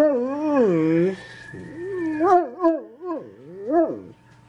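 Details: Dog howling in a drawn-out, wavering tone that rises and falls, breaking into shorter yodelling whines toward the end, with a low steady hum underneath.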